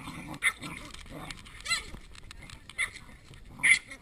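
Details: Chihuahua wrestling a dog five times his size; gargling play growls broken by sharp high yips in quick bursts, with a human voice talking in between.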